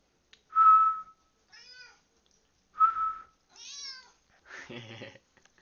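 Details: Domestic cat Turtle answering whistles indoors: two short steady whistles each followed by a brief, rising-then-falling harmonic meow, ending with a short spoken word.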